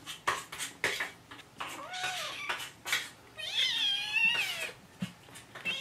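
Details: Hungry kittens Jugg, Anita and Ru meowing for their morning food; clattering dishes and cutlery at first, then a long, high, wavering meow with other cries layered over it.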